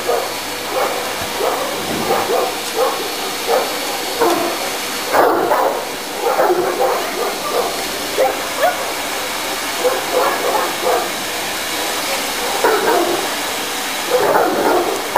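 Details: An 11-month-old, 60 kg Tosa inu dog playing with a running vacuum cleaner gives short, gruff barks and yips in irregular bursts over about fifteen seconds, above a steady mechanical hum.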